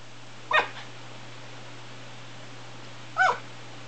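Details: A West Highland White Terrier gives two short, sharp barks about two and a half seconds apart over a steady low electrical hum.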